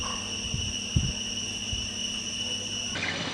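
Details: 9 Cicadas sitting in trees at Huay To Waterfall in Krabi National Park, Thailand, hold a steady, high, ringing drone that barely wavers from start to finish.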